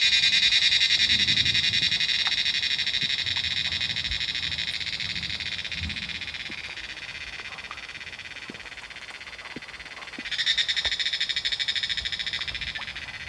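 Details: Many cicadas call from trees in the Himalayan mountains during the monsoon rainy season. They make a dense, shrill, pulsing buzz that fades slowly, then surges loudly again near the end. Faint low background rumble.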